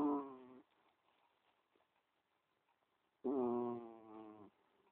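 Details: A cat snoring in its sleep: a buzzy, reedy snore cut short at the start, then a fuller one-second snore after a quiet gap of about three seconds.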